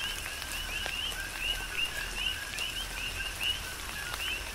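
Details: Coqui frogs on the Big Island of Hawaii calling in tropical rain, brief upslurred chirps roughly once per second from several frogs, set against a gentle background of falling rain.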